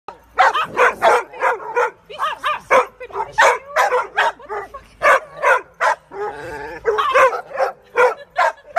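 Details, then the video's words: Dogs fighting: a loud, fast run of harsh barks and snarls, several each second, with one wavering growling stretch in the middle. "dogs fighting"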